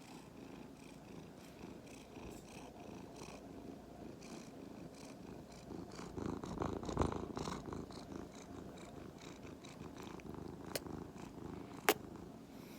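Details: Two-year-old male Norwegian Forest Cat and Korean Shorthair mix, a pet indoors, purring: a soft, steady low rumble of rapid pulses, swelling slightly midway, with a couple of faint sharp clicks near the end.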